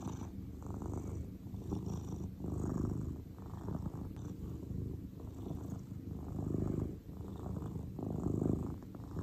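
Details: Calm grey house cat purring steadily, a low vibrating rumble in rhythmic swells about every two seconds, alternating slightly between inhale and exhale phases, with no other clear sounds.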